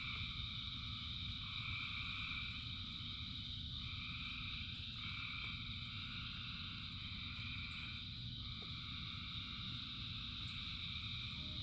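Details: Thousands of frogs singing in rain: a dense, steady chorus of layered trilling tones at several pitches, with bands switching on and off every second or two over a constant low rumble of rainfall.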